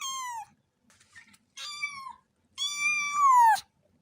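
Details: Three cat meows, the last long and drawn out with pitch sliding downward at its end, lower and fuller than a kitten's mew, faint rustling between calls.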